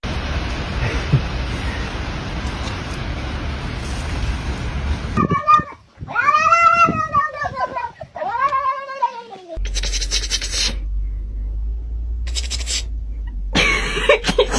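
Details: Domestic cat outdoors, meeting snow for the first time: a run of three loud, drawn-out meows, each arching up then falling, in quick succession midway. Gusty wind rumble fills the stretches before and after, with a person's voice faintly present.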